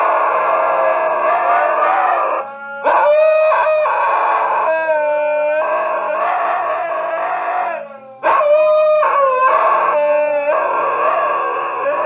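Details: Siberian Husky howling: long, sustained, wavering tones with rich harmonics, several overlapping voices rising and falling, broken by abrupt cuts near three and eight seconds before the howling resumes.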